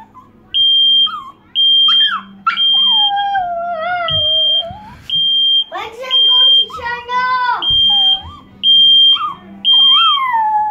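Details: Chihuahua named Poppy, who hates loud noises, howling at a smoke detector: wavering, falling whines and yowls weave between the alarm's steady, shrill, repeated beeps, with a brief spoken word at the start.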